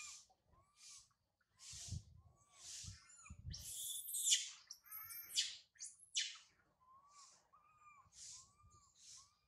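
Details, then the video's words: Abandoned by her mother Sarah, monkey Sario cries loudly high in a tree. Clear curved whistled notes come about once a second, with a longer harsh screeching outburst in the middle and faint low rustling beneath. "Pathetic Monkey Sario..! Sario crying loudly a lot on the high tree after mother Sarah leave her"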